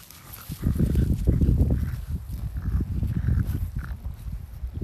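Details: Oleg the French Bulldog eating strawberries on a garden plot, giving rapid, loud, low snorts and grunts in an irregular stream, about three per second, with a muffled chewing quality.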